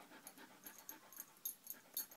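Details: A shy five-year-old male Shetland Sheepdog at a rescue on Long Island, New York, panting softly in quick irregular breaths, with faint clicks and low room noise.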